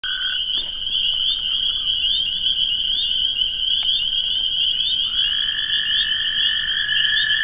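A dense chorus of high, shrill spring peeper peeps over the steady, lower musical trills of toads.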